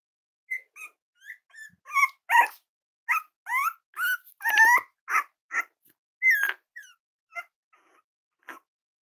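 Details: Cavalier King Charles Spaniel puppies playing with each other and exploring indoors give a rapid run of high, thin whines and sharp yips, some bending up and down, about sixteen calls in nine seconds with short gaps.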